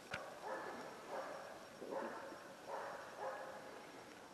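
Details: A young hunting dog barks at its first moose, the first time it has done so, among a cow with two calves and a bull, a steady series of somewhat hesitant, insecure barks at a distance, after a couple of hours working.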